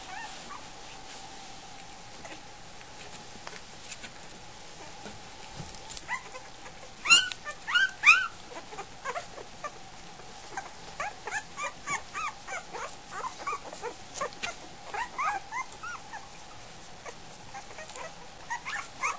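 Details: Week-old Goldendoodle puppies heading for their food, quiet at first, then a burst of squeaky cries near the middle and a run of short whimpers and yips through the later half, with a constant low hum.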